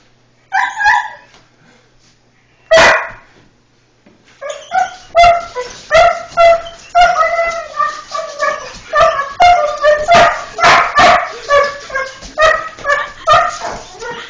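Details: A German Shorthaired Pointer chasing a person running through a house with hardwood floors gives a few separate barks, then a fast, steady run of sharp, excited barks with higher yips between.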